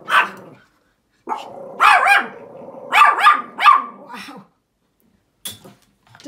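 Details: Pomeranian dog barking outdoors at a big dog: a few sharp, high barks in quick pairs, with a German-speaking woman talking to it between the outbursts.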